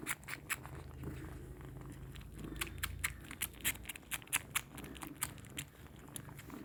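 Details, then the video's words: Kittens suckling milk in a small room: sharp, wet clicking smacks come about every third of a second, steady and close. "Sound effect of suckling milk is so adorable"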